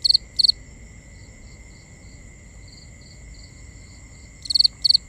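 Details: Crickets calling at night, recorded binaurally. Two loud, pulsed high chirps open, softer and more distant chirps trickle through the middle, and two more loud chirps close, all over a continuous high-pitched drone.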